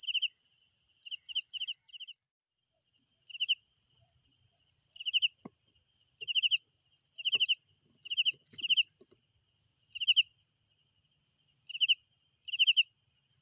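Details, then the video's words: Night crickets: sparse pulsed chirps, at first quick then spaced one to two seconds apart, beneath a steady high insect drone that briefly drops out near the start, with faint clicks. "Sounds of Night Crickets"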